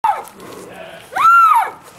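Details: Cat screaming: a short sharp cry falling away, then after a pause a louder arched wail that rises, holds, and drops off.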